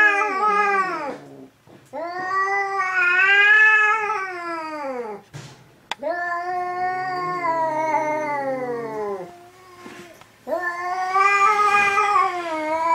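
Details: Two domestic cats, Hokuro and a black-and-white cat, fighting for the third time: repeated long arching wails, each rising and falling over several seconds, separated by short gaps, growing loud and harsh, with a brief click between yowls.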